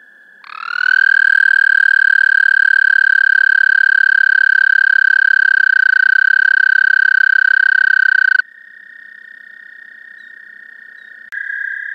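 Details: An American toad (Anaxyrus americanus) gives a long, steady, musical trill held at one pitch for about eight seconds.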